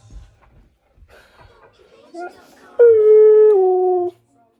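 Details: Pet husky making one of its strange everyday sounds: a few soft, wavering vocal bits, then a loud, steady, clear howl held for over a second that drops slightly in pitch before ending abruptly. Indoors, with faint background noise.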